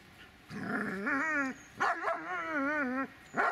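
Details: Dobermann named Magmar Von Der Burgstätte giving long, wavering, harmonic whining cries: one drawn-out note that bends up and down, then a second longer quavering cry after a short break, and the start of a third at the end.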